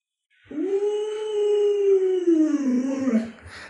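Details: Luoluo, a pet Alaskan Malamute that knows 36 tricks, gives a long, smooth indoor howl. It rises in quickly, holds a steady tone for about three seconds, then sinks slightly and fades into a short rough tail.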